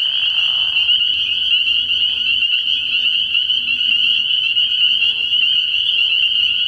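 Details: Spring peepers calling in a dense chorus at a frog pond at night early in the year: a continuous shrill, high peeping wall of many overlapping callers, with a faint low hum beneath.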